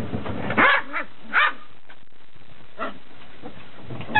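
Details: Beagle puppies, 69 days old, on their first run out on a deck; a few short yipping barks around the first second and a half, then sparse softer yelps against a steady background hiss.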